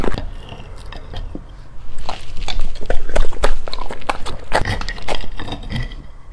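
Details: Golden retriever dog chewing food in a small room, with fast crisp crunches about three per second, swelling louder midway, over a steady low background hum.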